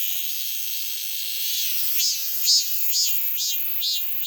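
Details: Cicada buzzing in a dense, high, hissing drone that halfway through breaks into rhythmic surging pulses about twice a second, each swell louder and brighter than the steady buzz beneath.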